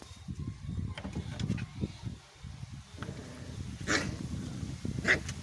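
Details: Rocky, a little puppy put inside a cage for the first time, barks angrily at the big household dog Silkan: a couple of short, sharp barks near the end over low rumbling and shuffling indoor noise.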